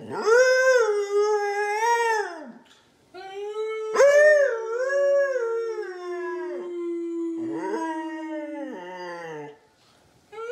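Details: Morning howling from Loki, a Siberian husky singing together with his owner: drawn-out wavering howls, one long note gliding slowly downward for several seconds, separated by short gaps.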